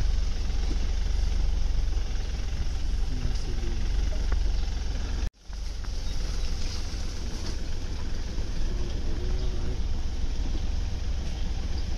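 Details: A safari vehicle's idling engine rumbles loudly throughout, cut by a brief silent drop midway, with no animal sound heard.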